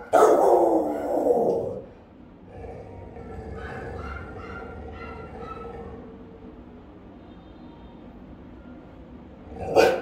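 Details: Rottweilers, one of three house dogs guarding the home, caught on a camera they keep discovering: a loud, deep burst of barking for almost two seconds, a long quiet stretch with faint murmurs, then one more sharp bark at the end.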